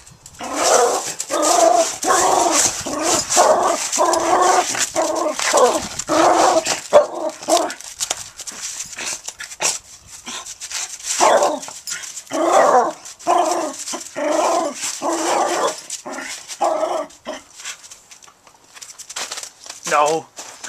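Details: Pet dog playing with a brick in a backyard, giving rough, throaty growling bursts about once a second in uneven runs, with short pauses and a man speaking to it.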